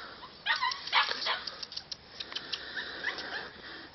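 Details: Samoyed puppy Alfa Romeo Markson Virta Valo, 42 days old, born 1 July 2013; a quick cluster of high, whiny yelps early on, then softer scattered squeaks and light rustling.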